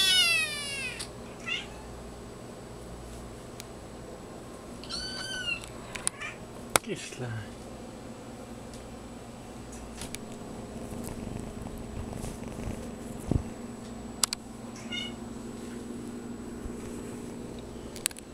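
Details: Small black-and-white female kitten born on May 21, crying before nursing; a few high, harmonic-rich wavering cries at the start and middle, then quieter rustling with a steady low hum and occasional clicks.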